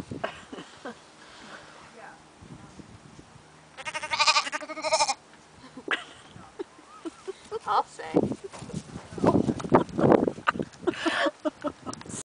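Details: Two lambs being approached by people; one quavering, pulsed bleat rises midway, surrounded by people talking, footsteps and rustling handling noises.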